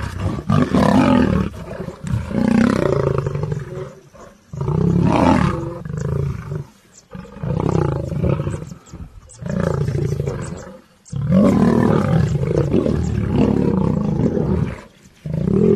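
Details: Several lions fighting: repeated bursts of rough, deep growling roars and snarls, each lasting one to two seconds with short pauses between, overlapping voices throughout.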